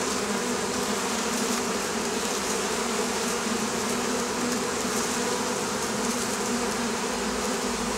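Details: Oriental hornet (Vespa orientalis) buzzing from the Campania plain, Italy, where the wasp troubles beekeepers; an unbroken, droning swarm-like hum with a slightly wavering pitch throughout.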